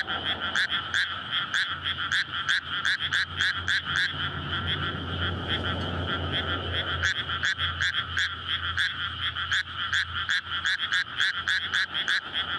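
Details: Night chorus of frogs courting in a flooded May rice field beside a road; rapid croaking pulses continue throughout while a passing vehicle's low engine rumble swells and fades in the middle.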